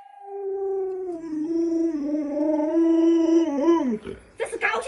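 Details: Lolo the Alaskan Malamute, a household pet, sustains a long, tonal howl of about four seconds that wavers and dips, ending in a quick downward bend; rustling and clattering follow at the end.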